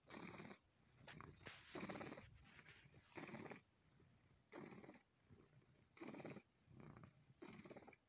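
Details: Domestic cat sucking and kneading a person while purring; breathy broadband purr bursts come in a steady rhythm of roughly one every second and a half, with short quiet gaps between them.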